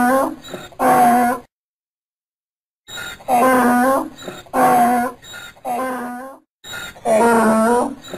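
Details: Braying donkey: two harsh harmonic calls, then a silence of over a second, then a run of four more rasping bursts. The calls come in an uneven, pumping rhythm.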